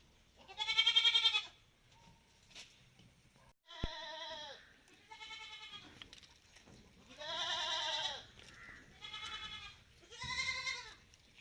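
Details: Malabari goats taken outside on their farm bleat repeatedly, about six nasal, wavering calls spaced a second or two apart, some louder and longer than others, with a sharp click in between.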